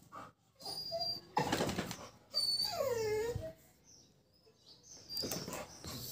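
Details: Labrador Retriever playing with a calf gives a drawn-out whine that arches and falls in pitch, set between bursts of rustling and handling noise.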